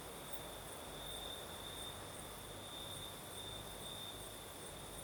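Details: Crickets sing after dark in southern Crimea: a sustained high-pitched trill with a faint upper shimmer, set against the steady rustling hiss of a night breeze.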